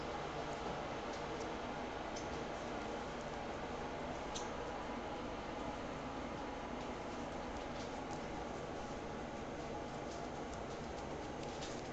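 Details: Steady broadband hiss throughout, with faint scattered ticks and clicks and no clear animal voice.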